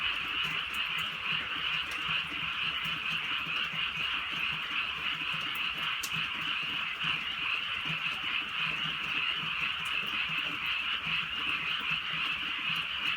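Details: Countryside night chorus of frogs under gentle rain, many voices merging into one constant shrill, buzzing trill, with faint deeper croaks pulsing below and occasional sharp drip clicks.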